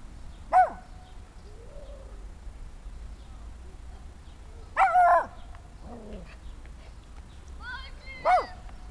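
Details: Six-month-old Small German Spitz puppy indoors giving three short, sharp, high yips spaced several seconds apart, with a faint lower whine between them and a quiet background.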